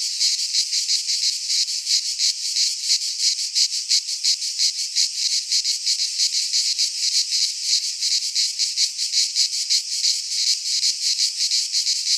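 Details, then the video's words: Cicadas singing in midsummer in a Greek pine forest: a dense, continuous buzzing chorus, high and hissing, pulsing roughly three times a second with steady loudness throughout; no other sounds stand out. "Cicadas singing in midsummer - Nature sounds from the Greek fauna - Sounds of cicadas"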